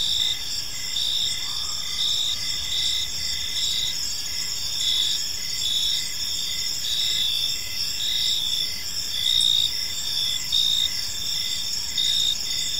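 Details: Park crickets at evening keep up a bright, ringing chirp chorus, rhythmic bursts repeating steadily with layered callers, beneath which runs a dull low-frequency background murmur.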